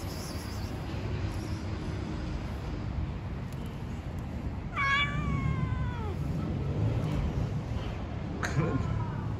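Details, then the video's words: Street cats calling to each other: one drawn-out meow that starts high and slides downward, then a shorter meow a few seconds later, over loud low rumbling street noise. "Cats talking to each other."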